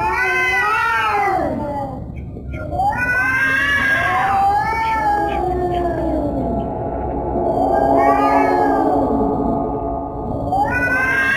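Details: Repeated cat wails, each swelling upward and bending back down, overlapping with a lower sustained moaning tone and a few short clicks between the calls.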